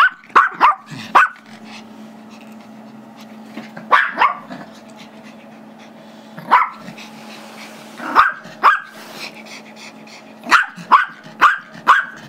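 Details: Five-year-old Chihuahua/Yorkie mix barking while it wants the squeaky toy another dog holds during play; rapid high yappy barks in clusters of two or three, roughly every two seconds, with a constant low hum behind.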